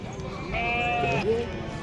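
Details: Sheep at the Pebbair sheep market, a single wavering bleat with a steady tone lasting about three-quarters of a second, set against crowd chatter, people bargaining over prices and general market noise.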